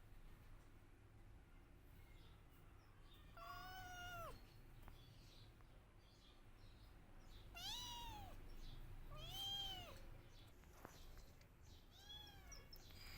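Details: Kittens crying for their mama: a series of five shorter, arched meows, some quick and thin, spaced irregularly over a steady low hum of background noise.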